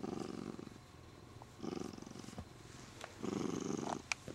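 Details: Siamese cat purring happily as it is stroked and grabs the owner's arm; rough purr in three swells with faint clicks and rustling between them.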